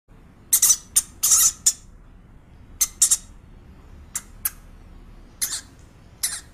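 A hamster gives short, hissy squeaks in quick bursts, grouped in twos and threes.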